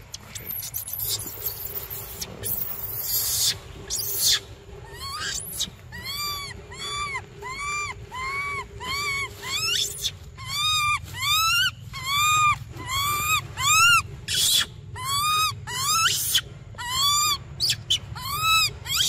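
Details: Baby monkey Briar cries insistently for milk: after some noisy rustling bursts, a long fast series of loud, rising-then-falling whistled wails follows, roughly one per second, with strong harmonics.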